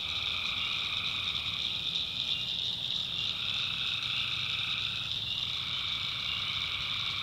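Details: Swamp at night in the North Carolina backwoods, full of tree frogs: constant high shrill trilling over a lower humming call that holds for a second or more, pauses, and resumes near the end.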